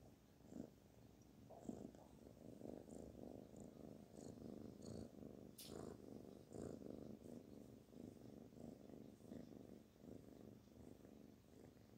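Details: Steady purr from the kitten Barfi under petting: a continuous low vibrating rumble pulsing in short breath cycles, with occasional faint clicks and one sharp tap.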